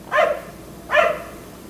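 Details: Black Labrador retriever left outside by neighbours until 1am, barking at night; two short harmonic barks about 0.8 seconds apart over quiet background.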